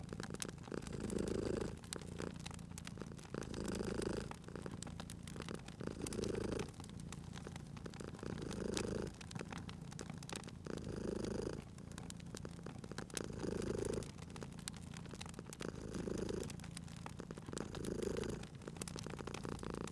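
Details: Drowsy cat purring at a crackling fireplace, the low vibrating rumble cycling with in- and out-breaths about twenty-four times a minute, accompanied by continuous snapping and hissing of burning logs.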